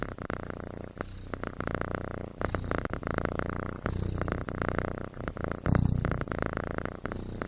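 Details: Sleeping kitten snoring like a human, a steady low rumbling pulse with breaths swelling and easing roughly every second, quiet indoor setting.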